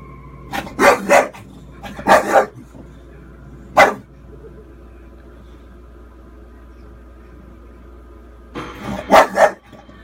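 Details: A 4-year-old female English Bulldog barks at the TV during a horror film scene where a little girl is in danger, as if warning her, giving gruff, broadband barks in bursts of two, then a lone bark.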